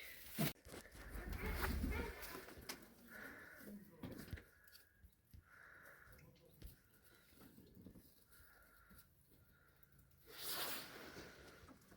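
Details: Newborn lamb in the open steppe, born this morning to a ewe that earlier showed signs of labour. Thin, held bleats come in short bursts with pauses between them. A man talks, and handling noises are heard.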